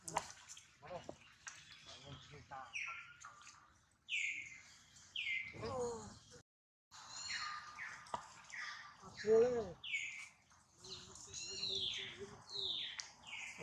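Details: Hurt baby monkey Duke, after a failed grab at mother Duchess, gives a run of thin falling squeals, some short and some drawn out, broken by thumps, rustles and a brief silence.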